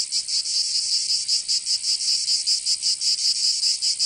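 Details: Cicadas singing in summer in Provence, southern France: a loud, high, buzzing drone broken into rapid regular pulses, roughly two to three per second, with no other sounds.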